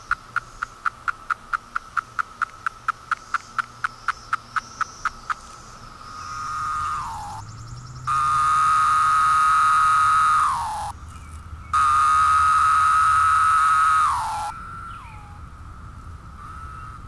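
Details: Brood V 17-year periodical cicadas moulting in Cleveland, Ohio, in 2016 give a quick series of sharp, evenly spaced ticks, then loud, steady buzzing drones lasting several seconds, each ending in a falling "pharaoh"-like slur.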